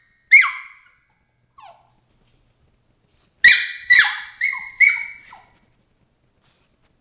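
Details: Thirteen-week-old Border Collie puppy Emily protests crate training: one piercing yelp, soft whimpers, then a quick run of four high screams dropping in pitch, ending with a faint whine.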